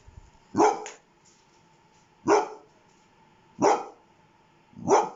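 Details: Pet dog producing four evenly spaced sharp barks, roughly one every one and a half seconds, over a steady faint hum.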